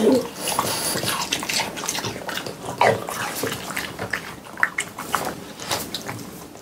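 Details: French Bulldogs, three pet dogs, munching watermelon indoors for an ASMR eating session in summer heat; dense, rapid wet chewing and slurping crackles run throughout, with a brief snuffling tone near the start.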